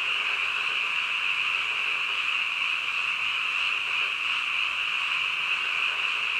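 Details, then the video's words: Midnight frog chorus, many callers overlapping into a continuous high-pitched trilling wall of sound that holds steady without pause throughout. "한밤중 개구리 울음소리"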